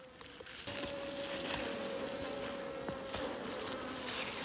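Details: Bees near a hidden wild honey nest out in the wild: a steady, droning hum with a clear mid-pitched tone and faint overtones, under a hiss of broadband noise and a few short clicks.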